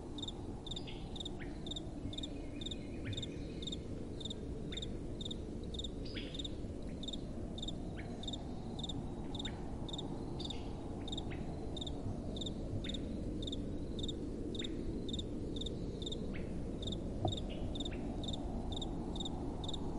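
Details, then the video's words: Crickets at night with a gentle wind blowing: short high chirps repeating about twice a second throughout, over a steady low rushing of wind, with a few faint scratchy clicks in between. "Relaxing Night Time Sounds | Crickets & Soft Wind"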